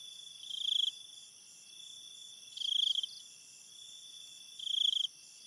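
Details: Cricket calling at night in forest ambience with a river: high, buzzy trilled bursts about half a second long, repeated roughly every two seconds over a steady high-pitched insect chorus.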